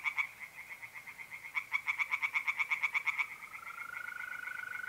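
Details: Tree frogs in a pond on an April night, North-East Italy, give two bouts of quick pulsed croaks, then fall quiet as a continuous mole cricket trill rises into the foreground.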